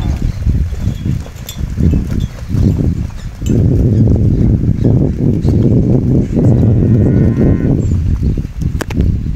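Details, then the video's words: Crossbred calves at weaning in 2015, several bawling together in low, drawn-out moos that overlap into a sustained chorus through the middle of the recording, with open-air rumble underneath. "Terneros destete"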